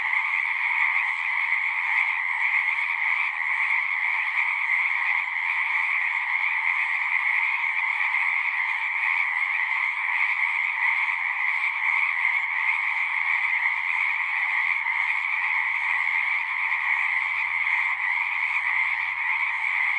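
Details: Chorus of frogs at a pasture pond, captured on a Zoom 6 recorder; continuous overlapping high trilling holds steady throughout, with a faint low hum appearing near the end.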